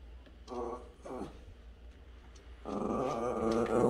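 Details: A friendly dog vocalising at the neighbour's cat, which does not like him; two short harmonic growly moans, then a longer, louder grumbling growl from about 2.6 seconds, indoors.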